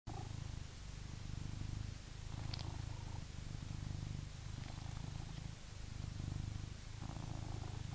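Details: British Shorthair cat purring while reacting to a vacuum cleaner indoors: a steady low rumble swelling and easing in breath cycles roughly every two seconds, with brief gaps between cycles and faint soft clicks above.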